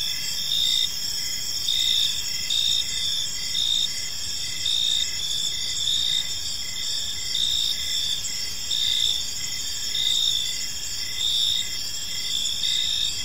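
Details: Evening chorus of crickets in a peaceful park, a continuous shrill ringing in stacked high bands, rising in short regular pulses about fifty times a minute, with soft background noise below.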